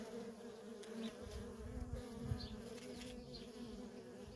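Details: Worker honey bees in nonstop traffic at a feral colony: a dense, steady drone layered at two pitches, with soft low rumbles of wind or movement underneath.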